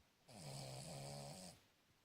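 A Cavalier King Charles Spaniel snores with a single loud, rasping, low-pitched breath lasting over a second.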